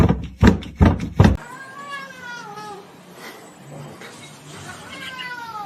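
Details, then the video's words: Kitten meowing: a few loud, sharp bursts at the start, then drawn-out whistly meows that slide downward, with a final rising-and-falling meow near the end over a quiet room hum. "kitten meowing"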